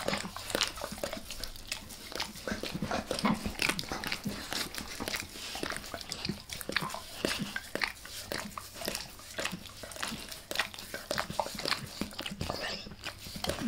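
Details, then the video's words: Close-miked face licking by Max the dog, recorded indoors as ASMR: dense, crisp wet clicks and smacking tongue strokes come several times a second, with a soft room hum beneath. "Max Licks | Face Part Deux | ASMR DOG LICKING"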